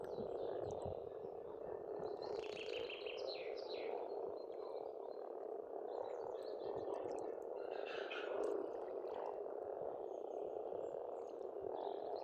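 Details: Spring frog chorus at a pond on a farmstead in Estonia: a dense, continuous croaking hum of many frogs blends into a steady drone, while birds add bright chirps and short trills above it.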